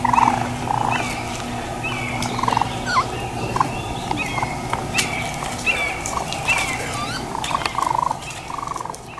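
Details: Baby raccoons give short, quavering trills and chitters, several a second in bursts, over a steady low hum at Black River Preserve, a beech-maple forest with ravines and streams in South Haven, Michigan.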